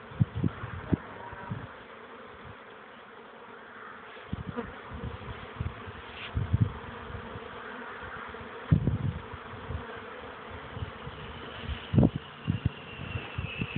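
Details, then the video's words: Young honey bees on their orientation flight, 13 May 2013, a few minutes into the flight: a continuous hive-like drone with repeated low rumbling bumps, likely wind or handling, and a short 'yep' from a person at the end. "oblot młodej pszczoły"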